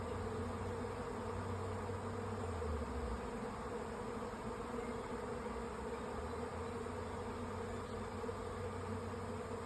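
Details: A honey bee swarm moving into two stacked nucleus hives in sunshine, May 24, 2025: a dense, steady drone of many bees, a low continuous hum with no breaks.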